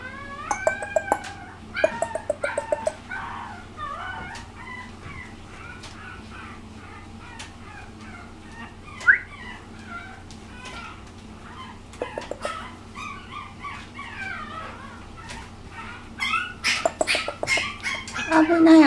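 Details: Young female puppy just past six weeks of age, recorded March 17, whimpering and squeaking in short, uneven bursts, with quiet gaps and louder yelping near the end. Sharp knocks and handling clicks sound throughout.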